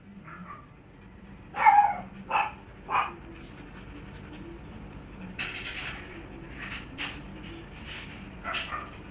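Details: Siberian Husky at a stud-service kennel gives three strong, rough barks in quick succession, followed by softer, breathier yelps and noisy scuffling, with a thin steady whine of background hum throughout.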